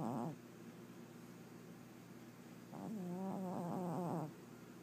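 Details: A 21-year-old pet cat snoring during a nap indoors: a quiet, low, harmonic snore at the start, then a longer wavering snoring breath from about three to four seconds, with near silence between.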